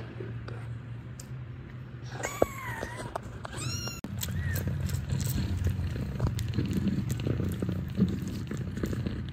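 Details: Domestic cat with nursing kittens at a cat cafe in Ho Chi Minh City, Vietnam: a few high, arching meows early on, then a steady, low, rumbling purr continuing throughout, with faint indoor background noise.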